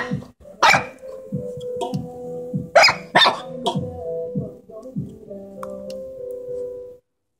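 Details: Little Corgi puppy, unhappy about goats wanting to come inside, makes uneven growls and sharp yaps, some whiny and tonal, with sudden loud bursts and pauses between.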